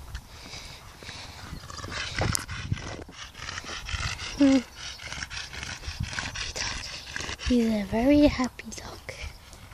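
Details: A male Staffordshire Bull Terrier gives short, moaning whines that rise and fall, with a person talking nearby.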